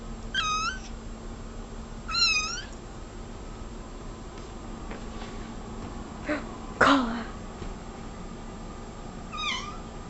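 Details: Domestic cat meowing repeatedly: three short, bright, nasal meows that rise then dip, spaced a couple of seconds apart and then after a longer pause, with a few sharp clicks and knocks between them in a quiet room.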